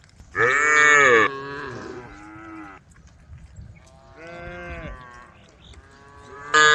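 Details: A roaming herd of brown, white and black cows on a dusty country road, calling the herd. A loud, harsh moo opens the recording, then softer, lower moos follow. Another loud call starts at the very end.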